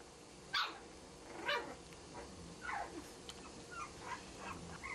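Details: English bulldog puppies, five weeks old, with their mother at a ranch, starting to socialize; several short high yips and squeaks, sharp chirps spaced irregularly across a few seconds, a person's voice nearby.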